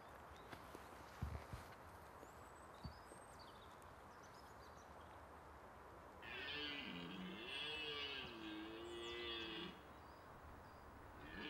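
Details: Red deer in the autumn rut, when stags compete for hinds: after quiet outdoor background with a few faint knocks, a single drawn-out, harmonically rich bellow lasting about three and a half seconds, wavering up and down in pitch before ending.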